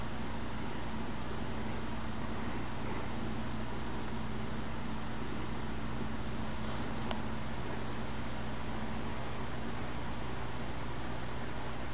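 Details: A steady broadband hiss over a low droning hum, like a fan or engine running indoors, fills the whole stretch without any animal call.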